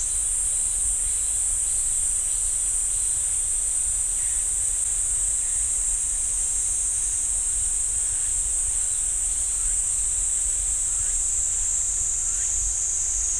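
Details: Sustained cicada chorus from a pine forest at Ssanggyesa temple, Jirisan National Park: a bright, steady shrilling band fills the whole stretch, with scattered faint, lower chirps dotted through it.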